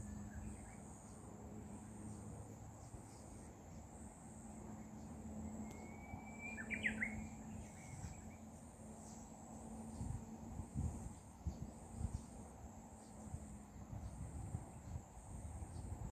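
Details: Possible katydid singing outside, a continuous high-pitched buzzing pulsed at a steady rhythm, interrupted midway by a short burst of bird chirps over a low ambient rumble.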